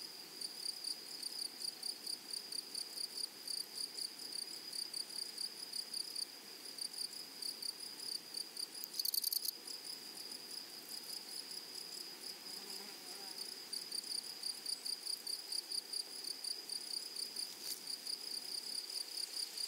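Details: High, sizzling buzzes from grasshoppers in a flowering prairie meadow come in rapid repeated pulses. The chorus softens briefly, then strengthens again, and a short louder rustle breaks in near the middle.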